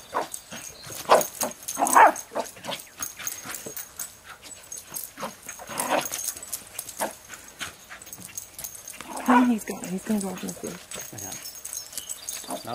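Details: A Jack Russell Terrier, on a leash near a highway, gives sharp, scattered barks while playing with a basketball for the first time, with human voices mixed in.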